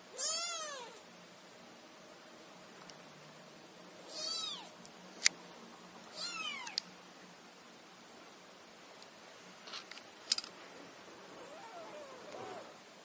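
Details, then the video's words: Kittens meowing in chorus: high, thin mews that bend down in pitch, coming in short bunches a few seconds apart, with small clicks and handling noises between them. "Kittens chorus"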